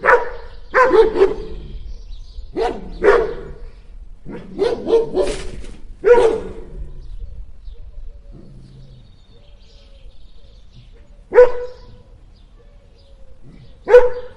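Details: Two dogs barking at the same time, loud sharp barks in quick pairs and clusters, then a lull with a soft low grunt before two single barks spaced a few seconds apart.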